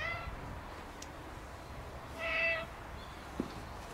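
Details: Black cat at a shrine, meowing while rubbing against a visitor who came to pray; one clear, drawn-out harmonic meow around the middle, a faint one at the start, quiet background with a soft tap near the end.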